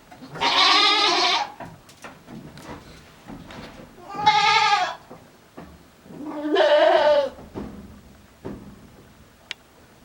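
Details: Strange-sounding calls from a male farm goat, December 2022: three drawn-out, wavering bleats roughly three seconds apart, each nasal and harmonic-rich, with faint rustling between them.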